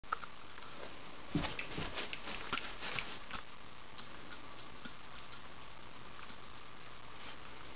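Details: Soft thumps, taps and scuffling sounds in a quiet room, with no clear animal voice.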